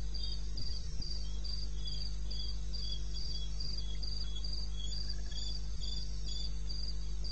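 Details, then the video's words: Night chorus of crickets in eastern Botswana's wilderness, taped at 2:30 am on 21 May: an even train of bright, high chirps every third of a second, a second quieter caller weaving in, over a steady low rumble. "1 Hour cricket sound"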